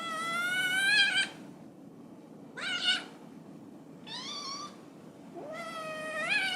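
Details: Loud, insistent meowing from a domestic cat: four strong calls in quick succession, some rising and wavering, the last long and drawn out, over a low steady background hiss.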